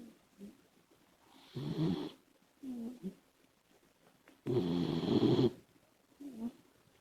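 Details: Sleeping Labrador Retriever puppy Komachi, a female pet dog, snoring: uneven rasping snores of varied length, one long loud one near the end, with short whistly nasal breaths in between.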